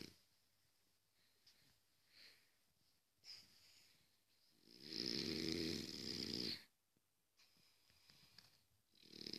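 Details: Sleeping French Bulldog snoring: quiet breathing, then a strong buzzy, rattling snore lasting over a second, followed by softer breaths and another snore beginning at the end.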